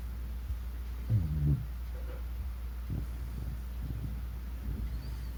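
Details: Bunchin, a 14-year-old Shiba Inu, snores while asleep: a low, rough rumbling burst around one second in, followed by softer breathy snuffles over a steady low hum.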